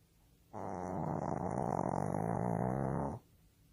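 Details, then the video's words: Pet Shih Tzu, the youngest dog of the home, snoring in deep sleep indoors: a single long, rough, fluttering rumble lasting about two and a half seconds, steady and buzzy throughout, with quiet room tone before and after. "막둥이 시츄 코골이 영상"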